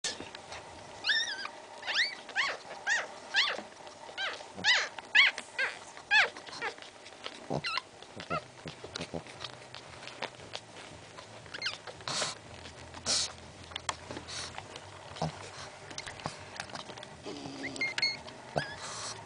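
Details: Newborn Pekingese puppies, three males, squealing and whining: a run of thin, high, harmonic squeaks repeated about once a second in the first seven seconds, then softer scattered squeals and rustling handling noise.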